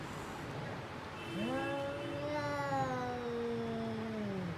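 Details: Fighting domestic cat giving drawn-out harmonic yowls that rise sharply, hold, then sag slowly, one long wail overlapping another over a low background hum.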